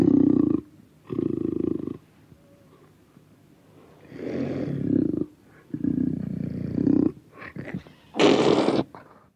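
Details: Panther recorded close, growling and roaring: a series of harsh, low-pitched bursts about a second long separated by short pauses, the later ones rising in intensity and ending in a loud, breathy hissing snarl.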